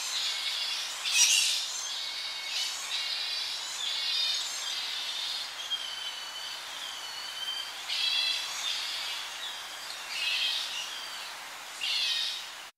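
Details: Close-up shrill calls of young Tonga flying foxes squabbling in a colony at evening: piercing, harmonic squeals and chatters come in repeated bursts, some drawn out, over slight wind in the tree.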